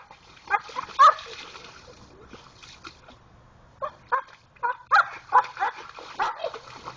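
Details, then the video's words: Pit Bull named Jayde digging in a creek for a rock, giving short squeaky whines and grunting yelps in clusters, water sloshing between them. "Pitbull making funny noises in the creek"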